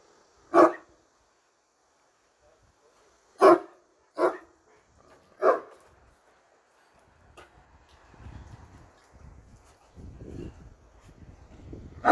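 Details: Turkish Great Dane behind a bar barks singly, then twice in quick succession, then a further bark. Low, rough rumbling and shuffling noise follows for several seconds before one final bark.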